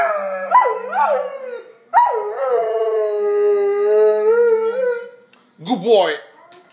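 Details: Doberman howling in a so-called singing display: long, sustained, wavering howls that slide downward and hold a steady tone, broken by a brief gap, then a short rising yelp-like howl near the end.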